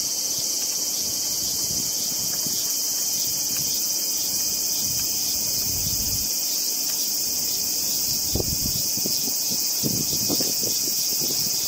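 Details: An unhurried Hyalessa maculaticollis cicada, shown up close during its meal, keeps up a bright, continuous high-pitched buzz, with a few low bumps and rustles near the end.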